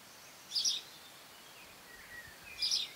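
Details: Cerambyx scopolii longhorn beetles recorded in June 2015 giving squeaks: two brief, scratchy, high bursts about two seconds apart over quiet background hiss, with a faint thin whistle between them.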